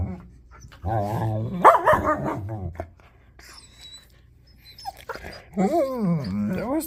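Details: German Shepherd pestered by a puppy indoors, giving wavering, harmonic whining and groaning vocalisations, rising and falling in pitch, in two bursts separated by a quiet pause, with faint human speech nearby.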